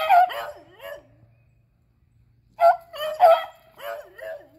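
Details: Eleven-year-old Athena and Zeus with three-year-old River, beagles on a squirrel hunt, April 21, 2020: drawn-out, wavering bays with falling tails, a silent gap, then another run of bellowing bays.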